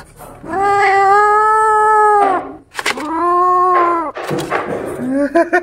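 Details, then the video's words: Angry kittens disturbed while feeding on a rat give two long, steady, loud moaning growls, each held well over a second, then a rougher, noisier burst, while indoor knocks and a person's voice are heard around them. "Adorable Kittens Get Angry When They Disturb Their Eating"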